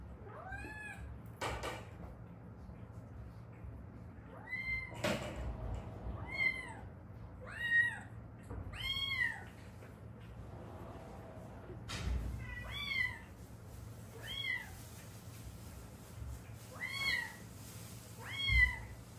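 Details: Stray cat mother and daughter from Haeundae, rescued after living seven years with a bone left set crooked by a traffic accident, give a series of short arched meows, about a dozen, with knocks and bumps between them indoors.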